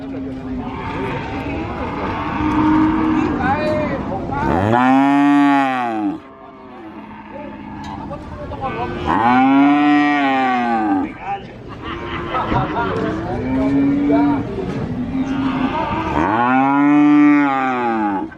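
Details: Cattle at a cattle market in Sokaraja, Purwokerto, Banyumas give long, deep moos, each swelling and falling, over a busy background of other animals.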